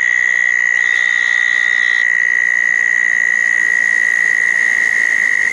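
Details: Southern toads calling at small dug ponds on a wet night after a thunderstorm, June 10, 2014; a steady, high, unbroken trill holds for the full five seconds, with a fainter, higher second trill briefly layered in.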